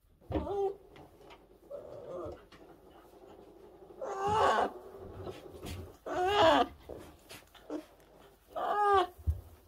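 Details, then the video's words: Rescued orphan brown bear cubs, tiny and fragile, cared for in 2023: scattered soft squeaks and clicks, then three loud, wavering, harmonic wails spaced two to three seconds apart over a rustling background. "Meet the 2023 Orphan Brown Bears"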